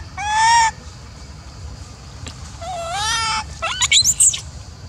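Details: Jealous-seeming female macaque Elpida, upset when old female Susie is fed, gives two rich rising coos followed by a quick run of sharp high-pitched squeaks against quiet background.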